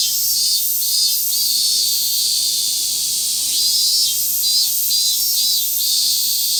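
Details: Minmin cicadas in a dense summer forest chorus: a shrill, steady hiss with pulsing, wavering notes.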